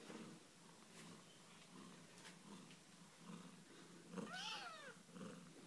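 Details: Australian Mist cat with her kittens cuddling together indoors; faint, low rumbling purr pulses under room hiss, broken by one short arched meow-like call near the end.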